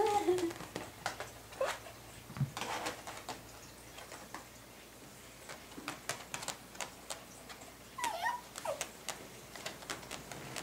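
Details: A Toy Poodle, wanting to take it easy and getting into mischief, gives brief, thin whimpers and squeaks among soft indoor knocks and rustles.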